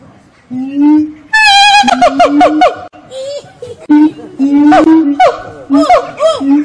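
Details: Singing monkeys at Fota Wildlife Park on Fota Island, Cork Harbour, Ireland: loud, tonal hooting notes, some held steady and others swooping up and down, in bursts that build in pitch and intensity, with brief quieter gaps.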